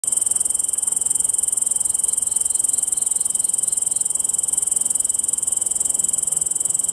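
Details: Tettigonia jungi (island bush-cricket) (Tettigonia jungi), song.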